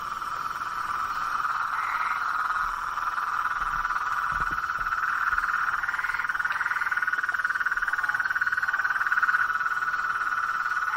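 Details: Night-time swamp chorus of blacksmith tree frogs. Many overlapping mid-pitched knocking notes merge into a steady, throbbing band, about four beats per second, with a few higher rising notes standing out.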